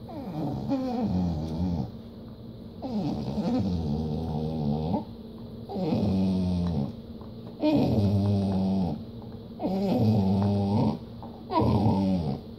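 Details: Protective of what he has, Skeeter, a Treeing Walker Coonhound and Pit Bull mix, gives a run of deep, throaty growls. Each lasts one to two seconds, with brief pauses between them and a constant indoor hum underneath.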